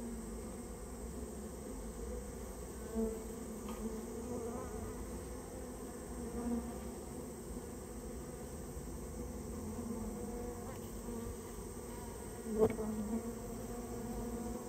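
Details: Droning buzz of a Japanese honey bee colony built inside someone's storehouse and being cleared out; an even, continuous hum with faint taps and a louder knock near the end.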